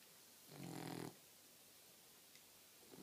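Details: Four-month-old female Boxer puppy, fast asleep indoors. A single rasping, low snore swells and holds for about half a second, its rough buzzy tone layered with strong low harmonics, then breathing settles into quiet room hush.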